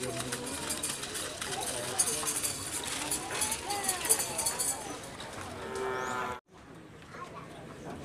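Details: Bull-racing cattle at a Karapan Sapi training session on the Asemanis field in Madura, East Java, Indonesia, ahead of a DRT event; a drawn-out low moo rises near the end over busy crowd chatter and outdoor noise, then the sound cuts off abruptly.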